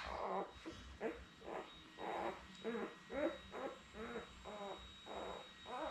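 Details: Labrador Retriever pups about six days old, from a litter of seven with their mother Belle, on a live puppy cam. Short, low, nasal whimpers and grunts repeat quickly, about two per second, with an uneven rhythm.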